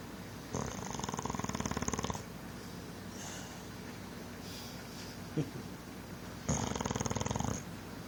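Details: A big male English Bulldog, newly adopted from a rescue, snores loudly. Each inhalation is a coarse, fluttering rattle of one to two seconds, with quiet pauses of several seconds between snores and faint room noise.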